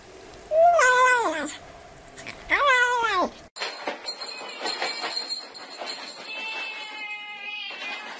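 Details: Kitten meowing twice, drawn-out falling mews two seconds apart, followed by an abrupt switch to a different clattering, tonal mechanical noise.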